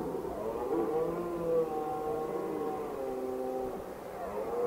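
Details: A red deer stag bellows in the rut at Pietraporzio in Valle Stura, Italy: a long, deep, groaning roar with a rough harmonic tone.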